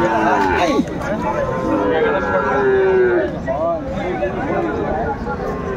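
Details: Sahiwal bull calves at a cattle market near Dhaka, 24 February 2025: one drawn-out, low, steady moo swells and fades midway, set against constant crowd chatter and haggling voices.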